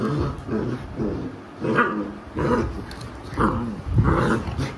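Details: Labrador Retriever mother named Alexa scolding her puppies: rumbling, throaty growls in separate bursts about half a second apart, rising into sharper yelping snarls near the end.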